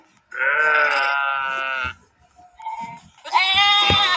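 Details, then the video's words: A sheep holds one steady, mid-pitched baa for about a second and a half, then after a brief pause a second, higher and harsher bleat breaks out and trails off at the end. "Sheeps Sound effects"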